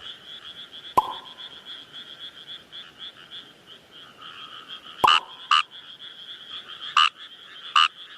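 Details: Kawamura's rice frog calling in the wild. After a sharp click and a quiet start, it gives a run of short, gravelly croaks, spaced about half a second to a second apart, over a continuous high background chorus.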